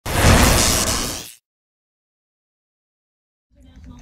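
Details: A loud whooshing burst, like an explosion, cuts to silence before faint low noise returns, with no animal sound.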